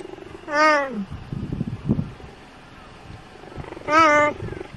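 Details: A cheetah (Acinonyx jubatus) gives two high, bird-like chirping calls, about three seconds apart.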